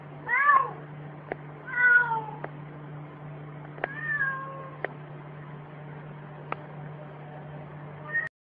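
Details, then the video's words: Cat said to bark like a dog; a few short, separated meow-like calls with falling and rising tones, spaced a couple of seconds apart, with soft clicks and a steady low hum indoors. "gato que ladra"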